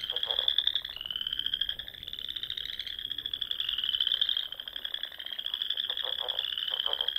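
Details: Frogs fill the spring dusk air over Sandhills ponds in Nebraska with a high continuous trill, interrupted by several clusters of low, quick pulsed croaks at the beginning and end.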